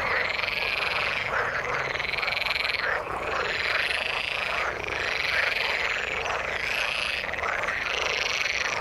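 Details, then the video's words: A dense frog chorus from the water, high pulsing trills in repeated waves every one to two seconds, briefly dipping near three seconds, over continuous rough croaking. "Frog sound in the water"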